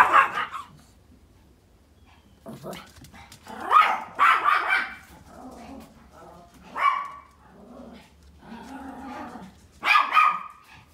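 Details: Pomeranians at home barking loudly while watching deer out the window, one starting and another following; five sharp yapping bursts, some doubled, spread across eleven seconds, with a person speaking Vietnamese quietly between them.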